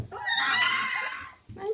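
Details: A three-week-old Alaskan Malamute puppy, among puppies making lots of noise, gives a high, strained whining cry lasting about a second.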